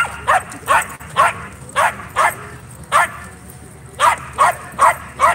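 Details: Dog at a dog park on a Friday night during play, barking in sharp, evenly spaced woofs about every half second, eleven barks in a row, with faint background voices.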